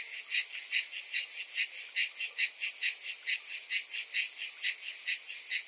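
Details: Cicadas during hot summer weather, many together, producing an unbroken high, sizzling buzz that swells and fades in regular rapid pulses a little over two per second.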